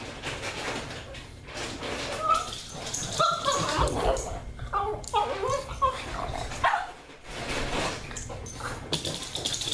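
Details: Anna the pug whimpers excitedly at mealtime, eager for breakfast or dinner; short wavering whines rise and fall amid clattering and rustling indoors.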